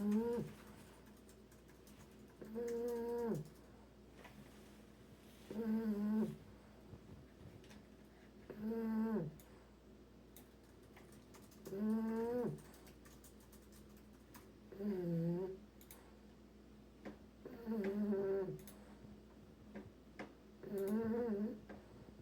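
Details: An English Bulldog puppy sleeps and snores steadily: eight nasal, tonal snores spaced about every three seconds over twenty seconds, each wavering briefly, with soft room noise and occasional clicks between them.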